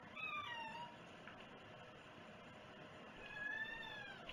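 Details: Two meows from a cat against a noisy, hissing background: a quick falling one at the start and a short, slightly rising one after a pause of about two and a half seconds.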